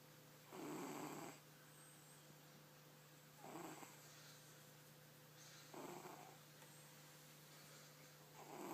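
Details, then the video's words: Domestic cat named Tizoc snoring while asleep indoors, rough breathy snores recurring roughly every two to three seconds, four in all, some louder than others, with a constant low mains hum underneath. "Gato Roncando"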